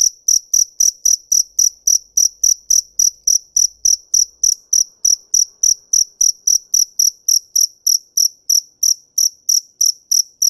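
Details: Cricket chirping continuously, with bright, shrill pulses repeated a little faster than three per second at a strong, even level. Soft low knocks accompany the first half.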